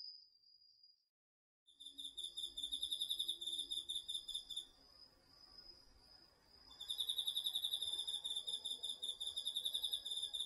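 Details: Autumn night insects, crickets among them, singing in a garden vegetable patch, DR-40X recording: after a faint start and a brief near-silence, loud pulsed trills burst in, fade midway, then surge again over soft background hiss.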